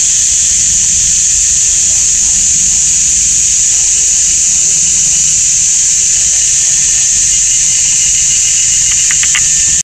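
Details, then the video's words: Deafening cicadas in Taiwan's GuanYin Shan forest on a summer Sunday afternoon: a constant shrill buzzing wall of sound, with a few short clicks near the end. "GuanYin Shan Forest and Cicadas"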